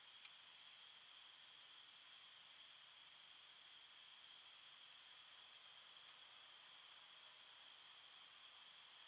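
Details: Night-time forest crickets: a dense, continuous high trilling in several stacked pitches, so fast that individual chirps blur together. Nothing else is heard.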